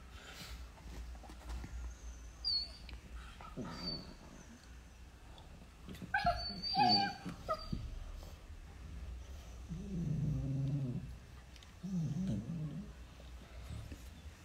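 Beagle puppies squeak and whine in high bursts, then give low, rumbling play growls.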